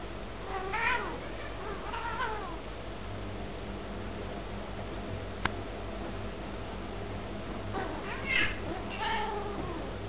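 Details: Two pet British cats playing indoors, trading calls as if discussing something: short rising-falling meows near the start, another around two seconds, then a cluster of chirpy meows near the end, over a low steady hum with one sharp click midway.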